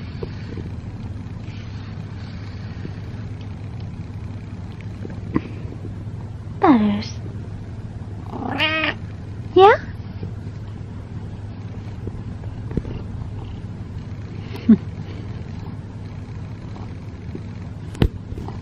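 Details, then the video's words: Butters, a male pet cat, meows while being brushed. Three drawn-out, wavering meows come close together in the middle, then one faint short meow later. There are soft brushing sounds and a low background hum. "Brushing My Cat While He Meows"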